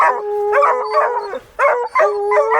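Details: A young female blue coonhound pup on a cold December night raccoon hunt puts her paws up on a game-holding tree, throws her head back and gives long, drawn-out bawls, treeing instinctively.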